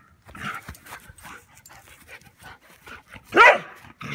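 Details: Rooney, a German Pinscher, messing with a Rat Terrier outdoors; quiet panting and snuffling puffs, then one loud harsh snarling bark near the end.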